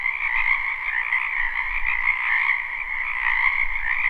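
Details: Spring chorus of many frogs in a wetland behind a house, recorded live without looping: a dense, continuous trilling wall of croaks, high and steady with a lower band beneath, no single caller standing out.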